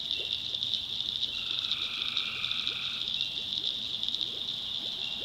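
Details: Tree frogs at night in a North Carolina swamp: a continuous high buzzing chorus, a lower tone that swells for about two seconds then fades, and scattered brief rising chirps beneath.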